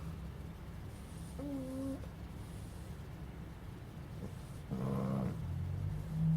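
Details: Puppy Fonso asleep and snoring, a soft low continuous rumble broken by two brief high whimpering tones, the second louder and rougher, with the snoring swelling toward the end.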